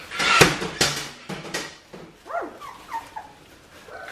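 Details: Australian Shepherd puppies, two and a half weeks old, indoors: a few short arched whining squeaks rising and falling, following loud clattering knocks and handling noise at the start.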